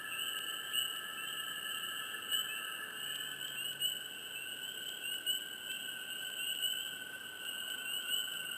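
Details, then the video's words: Swamp frogs heard up close, their chirps rising as louder bursts roughly every second and a half from a dense, unbroken high-pitched chorus, with a steady lower trill and soft background hush. "Frogs,Chirps,Close,Hush,Swamp Sound Effects"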